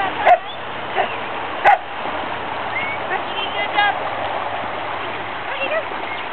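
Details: Dogs at a creek, with a few sharp barks near the start and at about one and a half seconds, over steady rushing water; faint higher whines or chirps follow in the middle.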